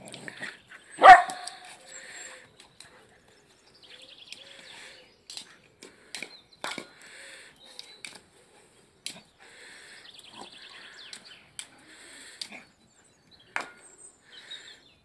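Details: Frodo, a pet dog, at play with his toy egg: one sharp loud bark early on, then soft low whines and scattered squeaks, clicks and rustling from the toy and play.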